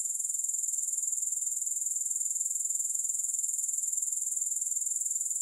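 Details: Grasshoppers chirring unbroken: a sharp, very high, rapidly pulsed trill with an even rhythm and steady loudness from start to end, nothing else audible.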